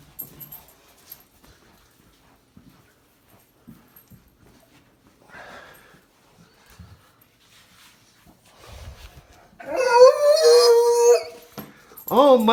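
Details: Puppy Great Dane yawning indoors: a drawn-out, wavering whine-like vocal yawn late in the recording, followed by a brief rising one at the very end, after a quiet stretch of faint rustles and taps.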